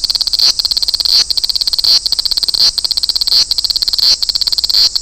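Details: Large brown cicada from Toyanogata Park, with high buzzy sizzling broken into short rattling bursts. A brief pause comes roughly every 0.7 seconds before the rasping resumes.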